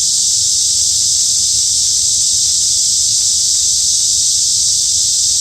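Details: Cicadas in a midsummer forest at Hanbat Arboretum in Daejeon, South Korea: a loud, unbroken high-pitched buzzing drone holding steady from start to finish, with only a faint low rumble underneath.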